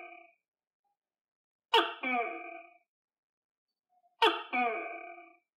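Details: Kept tokay gecko, fed on crickets, giving loud two-part harmonic calls, a sharp onset then a lower drawn-out note. Two calls about 2.5 seconds apart, quiet between.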